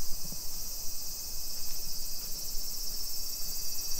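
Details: Shrill, unbroken buzzing of cicadas fills a summer afternoon, 2 PM on 28 July 2021, in suburban Nisshin near Nagoya, Japan; the high drone stays even throughout over faint low rumble from the street.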